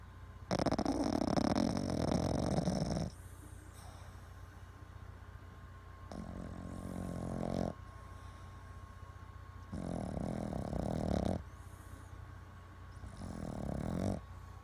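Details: Boston Terrier asleep and twitching, snoring heavily: a long rasping snore, then three shorter rough snores spaced a few seconds apart, steady low hum in the background.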